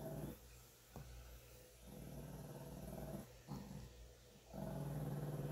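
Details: Small 9-pound Shih Tzu growling as a cat grooms her, tolerating and leaning into the grooming; low, rough rumbling growls come in long stretches broken by brief gaps, with a faint click and a steady low hum behind.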